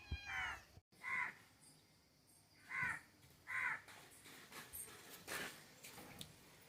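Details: Cat (Felis catus), meow.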